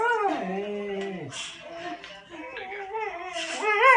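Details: Pointer crying along to a baby's cries, giving drawn-out whining howls that hold a steady pitch, then bend and drop. Further rising, wavering wails follow, ending in a louder upward cry.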